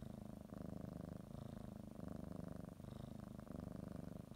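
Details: Kneading cat purring before her morning nap; close, low buzzy rumble in short breath cycles under a second long, otherwise quiet indoors.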